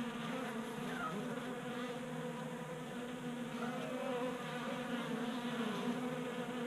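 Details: Many honey bees feeding at a 3D-printed table-top feeder in a Colorado garage during a warm January spell. A steady, dense droning hum with a low fundamental and stacked overtones, small wavering pitches from individual bees over the swarm.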